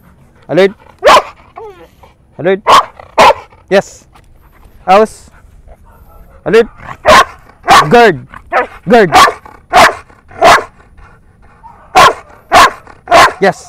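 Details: Belgian Malinois in the Philippines barking during training: loud, sharp barks in short bursts of two or three, irregularly spaced across the clip, with a person's voice calling out commands between them.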